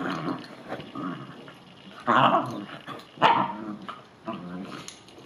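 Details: Upset Bichon Frise dog reacting after a bath or rain with muffled growling and a few short, sharp barks about once a second.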